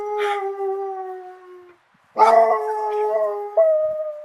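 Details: Excited dog baying, a sound it uses to communicate with its owners when separated during a hunt: two long, drawn-out howling tones at a steady pitch with rich overtones, separated by a short silence, the second tone stepping abruptly in pitch near its end.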